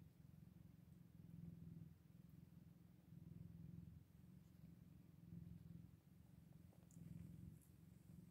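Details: Soft, continuous purring from Scottish Fold cats with kittens aged eight days, a throaty low hum pulsing in even waves about two seconds apart, with faint small ticks in the background.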